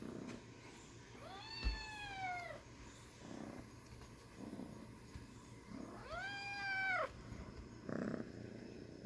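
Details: Small kitten mewing twice, about five seconds apart, each cry arching up then sliding down, with thumps and soft rustling against a hissing background.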